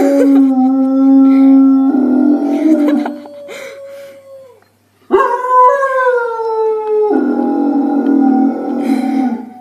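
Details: Dogs howling in long harmonic tones, with more than one voice overlapping. A low steady howl is joined by a falling one, then comes a short silence, and a strong howl resumes that gently descends and levels off.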